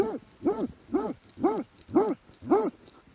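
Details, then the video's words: Plott hound recorded in 2017, giving a steady run of six rough barks, roughly two per second, each rising and falling in pitch. Faint rustling can be heard between them. "Plott hound"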